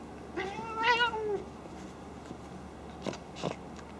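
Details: Indoor female cat at play, unusual for snorting like a pig though not mad; a single mid-pitched meow swelling then fading, followed after a pause by two quick breathy snorting bursts.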